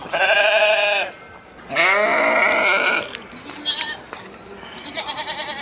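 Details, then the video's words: Two loud sheep bleats, one short and wavering, then a longer quavering bleat of over a second, followed by faint scattered background sounds. "صوت الخروف | the sound of the sheep"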